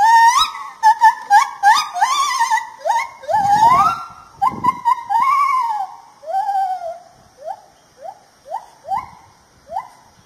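A lar gibbon gives a run of loud, clear whooping hoots that swoop up and down in pitch.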